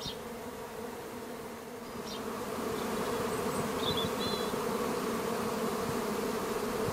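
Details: A honey bee swarm from a garden colony kept with minimal intervention in May: a buzzing hum that swells noticeably louder after two seconds and then holds. A few faint bird notes sound early on.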